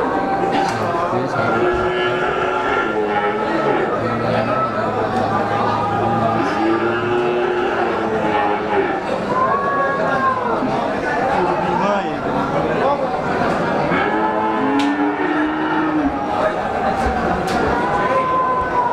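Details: Breeding cows at the Pemalang cattle market in September 2018, with several low, drawn-out moos that rise and fall, heard among a dense crowd of people talking and general market bustle.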